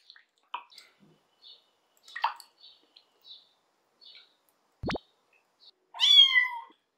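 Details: Lara, a rescued abandoned kitten full of fleas, during her first bath at home: scattered water drips and splashes, one plop, then a loud, clear drawn-out meow near the end.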